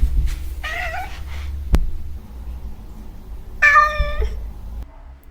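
Two harmonic, slightly wavering meows from a domestic cat, about three seconds apart, with a sharp click between them. Cats use this call mainly toward people, asking for food, attention or play.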